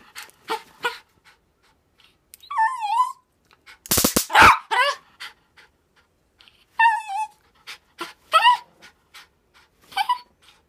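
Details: Nine-year-old dog, worked up and eager to grab a taser, pants in quick breathy bursts between high, wavering whines that rise and fall, with a loud rasping outburst near the middle; indoor setting.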